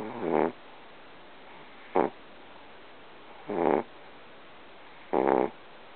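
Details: A small pet dog sleeping and snoring loudly: four short, buzzy, rasping snores about every one and a half seconds, with quiet pauses between them.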